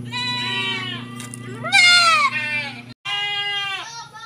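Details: Young goat kids bleating while given 1 ml B-complex injections. Several harmonic, quavering cries, one sharply rising and loud, follow each other with a brief gap, over a constant low hum with some voices.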